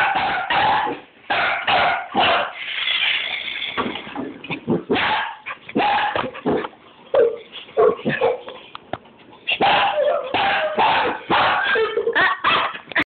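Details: Border Collie (Canis familiaris), barking: agitated, angry barking directed at a car.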